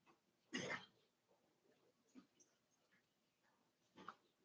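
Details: Five-week-old Cavalier King Charles Spaniel puppies in Daisy's indoor puppy pen; one short, rough, breathy yelp-like grunt near the start, then two fainter puffs later over steady low hiss.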